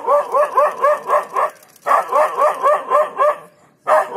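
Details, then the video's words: Dog at Jhalana, surprised by a leopard after a nap, bluffs the cat away. Two quick strings of about six evenly spaced, tonal barks, separated by a short silence, then one final bark. "scaredy cat leopard loses as dog barks it off!"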